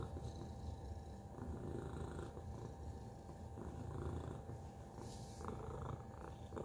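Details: Tacy, a domestic cat, purring: a low, rough, continuous rumble with soft pulsing swells, a faint steady hum in the background and a brief hiss of noise near the end.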